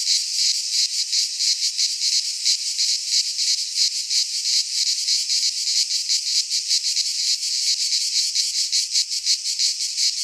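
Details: Midsummer cicada chorus recorded in a pine forest in Greece, a loud shimmering buzz held without pause, rapidly pulsing about three times a second, nothing else audible.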